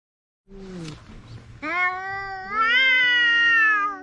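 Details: Two cats, one orange, quarrelling at the seaside: a brief low falling mew, then a long drawn-out harmonic yowl that climbs and holds to the end, with a second lower voice beneath.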